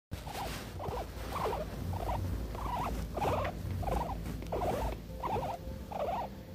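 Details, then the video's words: A female guinea pig purrs contentedly while being petted, a low rumble broken into short, buzzy pulses repeating about once a second. "Happy Guinea Pig Purring, she loves to be loved"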